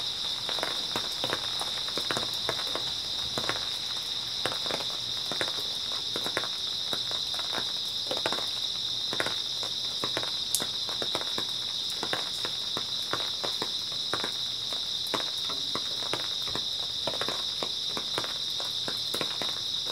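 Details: Night chorus of grass insects in early autumn: an unbroken, high, ringing trill holds throughout while irregular crunching footsteps and soft rustles pass beneath it.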